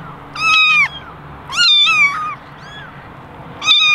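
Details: One of eleven basket kittens, mostly ginger with one white, meows for attention: three loud, clear, harmonic meows, the first two long and flat-topped with a falling tail, the last cut short.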